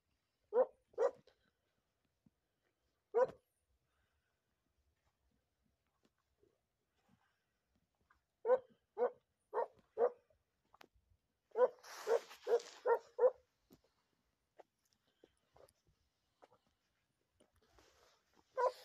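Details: Segugio hound named Macù del Faegolo in training on hare, 28 February 2022, giving sharp barks with a harmonic tone, in single notes and quick bursts of four to five, separated by silence, with brief rustling noise.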